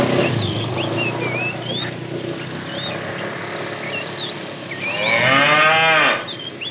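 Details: Tame herd cows out looking for food: one bright, wavering moo rises clearly near the five-second mark over a steady chorus of chirping birds and low background rumble.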